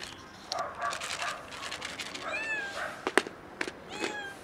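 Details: Cat on a car and a newly arrived hungry kitten; muffled rustling and handling noises first, then two short arched meows and a sharp click.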